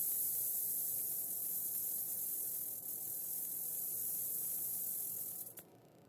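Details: Western diamondback rattlesnake killing a mouse almost instantly; a steady, hissing high buzz runs without a break for about five seconds, then cuts off abruptly near the end.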